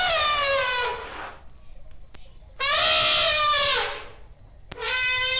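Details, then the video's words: Asian elephant trumpeting: three loud, brassy blasts rich in stacked overtones, each about a second long and falling slightly at the end, separated by short quiet gaps. "Som do Elefante / Som de Elefante Efeito Sonoro | Elephant Sound | Elephas Maximus"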